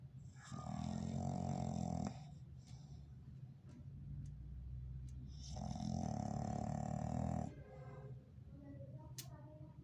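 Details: English Bulldog snoring loudly while asleep: two long, rough, rumbling snores of about two seconds each, separated by quieter breathing.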